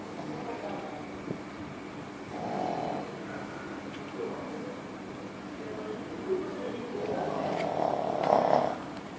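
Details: Fluffy Shih Tzu in deep sleep, snoring loudly: low rumbling breaths that swell into a stronger, rougher snore toward the end, with faint background sounds.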